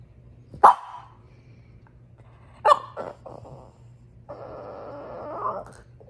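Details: French Bulldog bitch fussing over her toy gives two sharp barks, a short run of grumbles, then a long, sustained, moaning whine lasting over a second, with a faint low hum behind.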